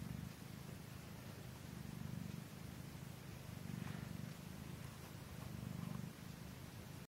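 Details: Norwegian Forest Cat purring as it feeds, a low continuous rumble swelling and fading in slow waves, with a few faint rustles on top.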